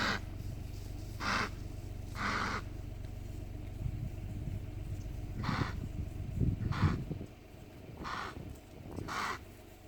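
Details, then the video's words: Fighting impalas along the Punda Marin camp road, Kruger National Park, give a series of coarse, explosive rasping bursts, about seven in ten seconds and irregularly spaced, against a constant engine rumble. "Barulho estranho das Impalas"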